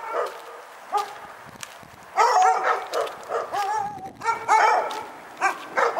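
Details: Repeated barking from a dog at Pyrga: shrill, slightly whining barks in irregular runs, some drawn out with a rising-falling tone, with barely a break after the second second.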